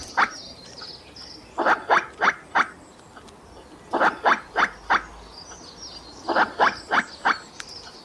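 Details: A squirrel calling in short rasping barks grouped in threes and fours, each burst repeated about every two seconds in a steady rhythm, with faint thin high chirps in the background.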